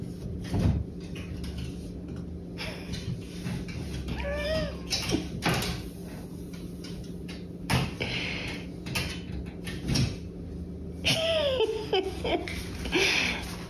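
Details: Curious cat caught on a clothes rack indoors, giving a few short rising-then-falling meows around four and eleven seconds, amid rattling hangers, knocks and rustling of clothes.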